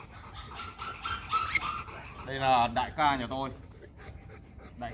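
A Rottweiler gives harsh, wavering barks and growly yelps aimed at threatening another dog.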